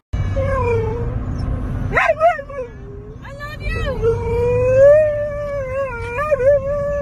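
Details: Siberian Husky from a compilation of pet huskies, giving a long wavering howl, steady and tonal, that breaks off near two seconds and then resumes, rising slightly and swelling in the middle before ending in small wobbles, over a low background hum.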